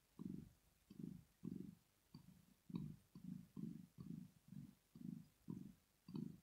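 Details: Rosetta, a pet cat, purring while sleeping, a sign of pleasure or relaxation; strong, even low throbs repeat about twice per second, thirteen pulses in all, in a quiet indoor setting.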